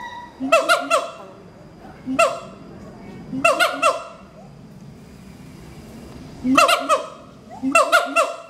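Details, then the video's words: A pair of adult siamang gibbons, monogamous apes at Schmutzer Primate Center, sing their morning territorial duet: loud ringing harmonic barks in clustered bursts, separated by quieter gaps of a second or more. "Duet Song of Siamang Gibbons (Symphalangus syndactylus)"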